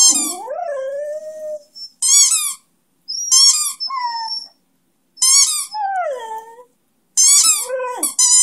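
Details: A one-year-old Beagle-Schnauzer mix (Schneagle) gives sliding, wavering howls, singing along between bursts of high, squeaky noises from his favorite toy.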